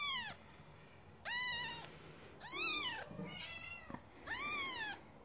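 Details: ['Scottish Fold kittens meowing: four high, arched mews with rich harmonics, each under a second, spaced roughly one to two seconds apart, indoors with a low background hum.']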